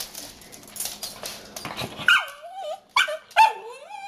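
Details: Tipsy, a 10-month-old puppy, annoyed that her food was left on the counter, gives a few short rising-falling whines and yelps after a stretch of low indoor noise.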